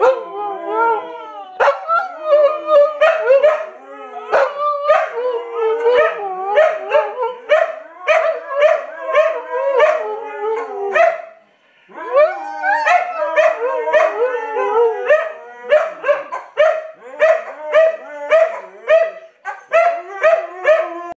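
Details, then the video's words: Several Siberian Huskies howl together in overlapping, wavering, yodel-like cries that rise and fall, broken by short sharp yips and barks, with a brief pause near the middle before the chorus resumes. "Siberian Huskies Howling!"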